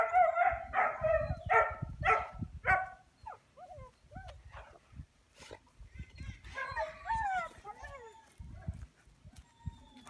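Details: American Akita barking: five or six hoarse, ringing barks about every half second at the start, then thin rising whines and a burst of squealing yelps, with rustling and handling noise throughout.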